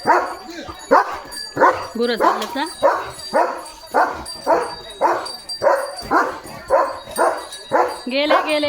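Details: German Shepherd Leo, on alert duty right after a bath, barks steadily about twice a second, a dozen or so rough barks in a row, ending on a higher, whining rise.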